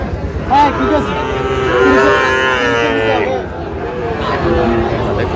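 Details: Sahiwal bull calves at a cattle market in Faridpur, Bangladesh, 23 June 2025: a drawn-out, harmonic moo swells for about two seconds, while men haggle over prices in Bengali and shorter calls rise around it.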